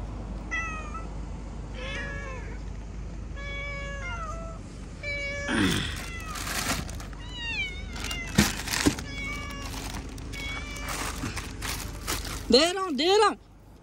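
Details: A group of pet cats at feeding time meow repeatedly, first evenly spaced descending cries about every second, then a dense burst of overlapping calls and a final loud, pitch-bending wail over clattering and low hum.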